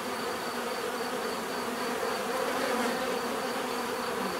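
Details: Bees droning in a dense, unbroken buzz with flickering low tones and a faint high whine, swelling slightly midway.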